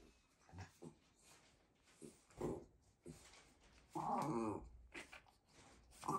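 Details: Ranmaru the Shiba Inu whines 'fin fin' from behind a fence to greet guests once a meeting begins; short whimpers build to a longer, strained whine near the four-second mark, then brief yelps, indoors.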